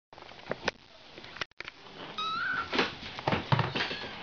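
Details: Ragdoll kittens born on March 31, indoors; a short rising-then-level mew rings out midway, surrounded by scattered clicks, taps and rustling from the room.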